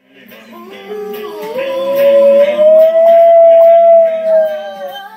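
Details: Speed, a pet dog, howls along to the Two and a Half Men theme while it plays on TV at home: one long rising howl that climbs and then holds steady for several seconds over the theme music.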